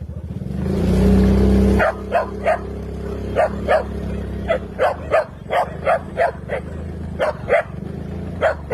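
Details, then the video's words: Dog barking on a noisy road, short sharp barks repeated about twice a second in an irregular series, after a long loud car horn blast at the start; people talk nearby. "ang saya saya ni lalapot niyo ang ingay sa daan😍🐕"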